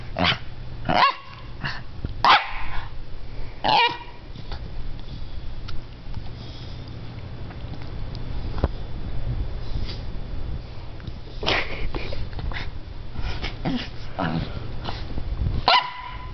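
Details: Scottish Terrier, a female, lying in her doggy bed, lets out scattered single barks and short rough bursts at irregular intervals over a constant low rumbling background noise.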